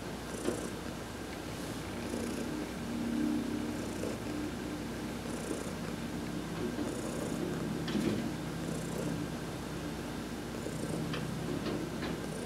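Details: Sunbathing under a massage on November 19, 2020, the adopted cat Heidi keeps up a continuous rough low purr with less distinct breath pulses, plus a few faint clicks and soft rustles.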